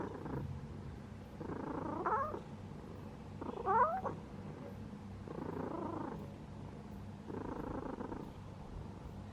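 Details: Domestic cat purring while asleep, the rumble swelling into louder bursts roughly every two seconds with each breath, one brighter trill-like burst in the middle, a soft human voice afterwards.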